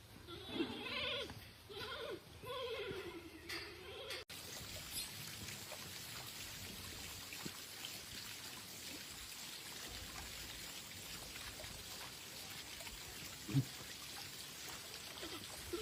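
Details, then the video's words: Fubao the giant panda on March 10 gives a string of sheep-like bleats: wavering, quavering tones that rise and fall in bursts over the first four seconds. After a sharp cut, only steady hiss and trickling water remain. "계속되는 푸바오의 양울음소리"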